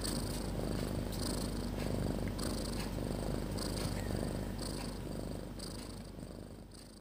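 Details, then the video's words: Sleeping cat Snopi lying with her kittens, a steady low rumbling snore or purr repeating rapidly, with bursts of brighter hiss at intervals through the clip and the sound fading slightly toward the end. "The Cat Snoring So Loud"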